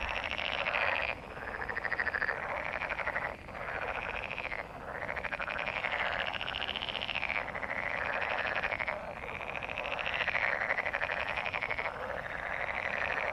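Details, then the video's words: A dense chorus of mating frogs gives rapid, pulsed croaking trills that swell and fade in overlapping waves. "Frog mating/ Żabie gody/Froschpaarung SOUND EFFECTS"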